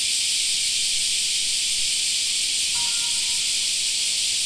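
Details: Cicadas singing in a summer park, a constant high buzzing wash; near the end a brief faint tonal sound passes beneath the drone.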